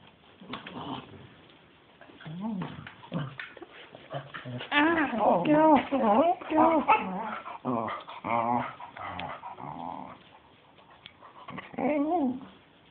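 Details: Pet dog playing wildly and going a bit crazy indoors, with a second dog trying to hump it; rough, wavering growls and whiny vocal moans rise and fall in uneven bursts, louder in the middle, mixed with shuffling play noise.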